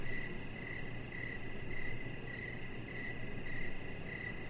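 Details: Short, regular cricket chirps on an evening deck with decoration lights, where the chihuahua puppy Rocket lies; thin high pulses come roughly twice each second, backed by a faint steady hum in the low range.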